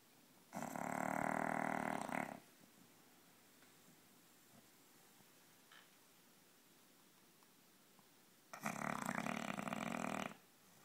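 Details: Sleeping male English bulldog snoring loudly: two long, rasping, harsh snores of about two seconds each, roughly six seconds apart, with quiet breathing between.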